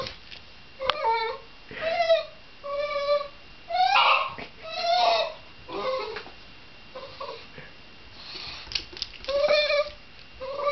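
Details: Shiba Inu vocalizing in uneven bursts of whining and yelping, with tonal cries that rise and fall, some rougher and breathier, roughly one per second, and faint clicks and shuffling between them.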